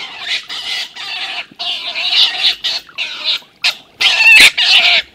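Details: An older, bigger stone marten named Milton thrashes the young marten Martin, telling him to leave. Dense, grating screeches come in short rasping bursts with brief pauses, one sharper squeal near the end.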